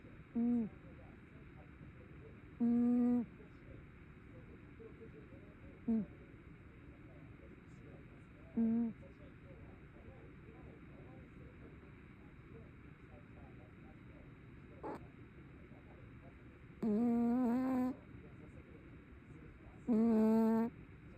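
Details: Snoring tabby cat during sleep: several brief, faint hummed snores early on, then two longer, louder wavering tones near the end, with a single soft click in between.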